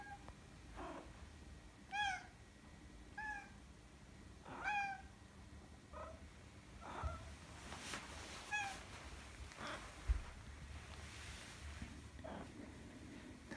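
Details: Maine Coon cat named Madoka greeting its owner returning home, recorded 16 December 2019: a series of short, bright, rising-then-falling meows at irregular intervals of about one to two seconds, with some soft indoor rustling and a person's voice.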